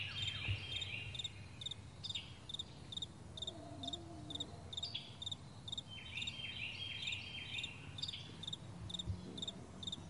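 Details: High, evenly pulsed cricket chirps fill a vast morning meadow while birds add bursts of sweeping whistled notes and a brief lower warble, over a faint steady rumble.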